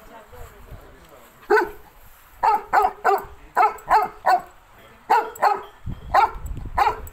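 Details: Play session between a Cane Corso and a Pitbull Terrier named Nero and Rio: about eleven loud, clipped barks in quick clusters, mostly in pairs and triplets, with brief quiet gaps.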